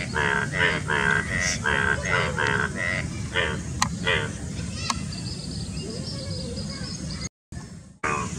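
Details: Indian bullfrogs in courtship near Dombivali, Thane district, Maharashtra, on 9 June 2018; males with paired vocal sacs give a run of harmonic, nasal croaks, about seven in quick succession, over steady low background noise, followed by a thin whistled note.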